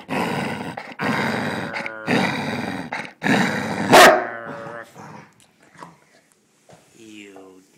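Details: Martha, a spoiled female Basset Hound, guards her bone and will not share: loud, rough growls in long bursts of about a second each, a sharp snapping bark near the middle, then quieter moments as a person speaks softly in Spanish.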